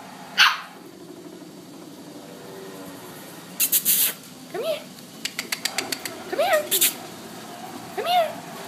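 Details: A 9-week-old blue Boston Terrier puppy barks at an adult Boston Terrier during play because he wasn't getting enough attention: short, high, rising-then-falling yips between bursts of scuffling and clattering noise.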